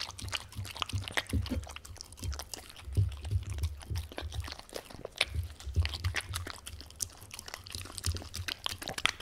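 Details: Welsh Corgi named Tangza eating a wet dog-food stew indoors: rapid wet smacking and clicking of mouth and tongue, irregular soft slurps, with a steady low hum beneath.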